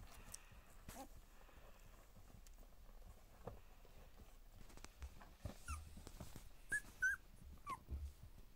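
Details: Two-week-old Border Collie puppies at their first play together, giving short, high squeaks and thin whimpers that cluster in the second half, several rising and falling quickly, over soft rustling and scuffling.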